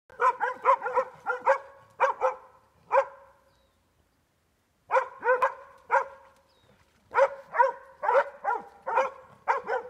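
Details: Plott hound, together with a Border Collie, baying a boar in a creek: rapid bursts of loud, ringing barks, several per second, broken by a silent pause of about a second.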